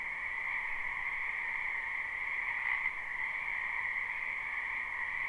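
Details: Frogs croaking in a spring wetland behind a house, recorded live at night for sleep: a dense, steady chorus forming continuous bands of trilling sound, with no single caller standing out.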